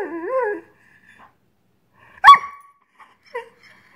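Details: Greyhound frustrated that dinner has not yet been served gives a short wavering whine, then after a pause a single sharp yelping bark and a faint soft yip.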